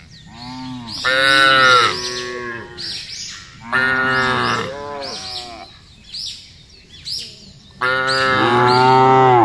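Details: A large herd of cattle being driven across a wide grassy pasture moo in turn, each a long, rich, nasal bellow of a second or two, the loudest swelling then fading with a falling tail.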